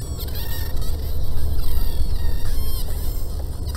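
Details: Dolphins give thin, high whistles that sweep up and down over a deep, steady underwater rumble. This is raw hydrophone data from a science vessel, ending with a heartbeat-like sound from a blue whale.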